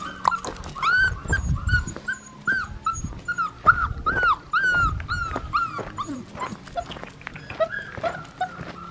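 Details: Black tri female Australian Shepherd puppy whining and yipping in a rapid series of high, arched cries, several per second, then quieter whimpers, with thumps and faint music behind.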